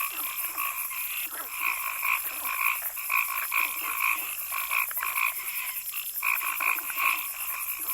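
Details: Frogs calling in a forest, a dense chorus of short nasal croaks repeated about twice a second, with a steady high insect-like hiss running throughout.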